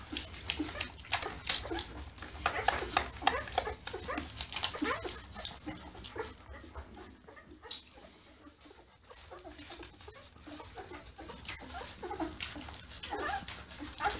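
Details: Suckling newborn Labrador Retriever pups make a busy stream of short, high squeals and whines, dense at first, easing to a quieter stretch midway, then rising again, over a low background hum.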